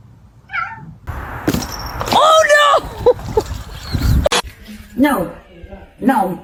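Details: Domestic cat giving a short, drawn-out meow with clear harmonics, overlapping with people talking, plus a few more faint mewing calls later amid household noises.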